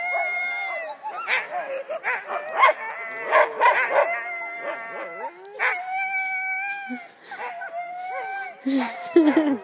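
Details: Huskies in Wardsboro, Vermont, excited before a mushing run: a chorus of long, sliding howls and high yips from many dogs at once, punctuated by frequent barks.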